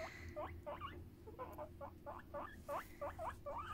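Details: Pet hamster being talked to and scratched indoors, giving a rapid series of short rising squeaks, about two to three per second, over a low steady hum.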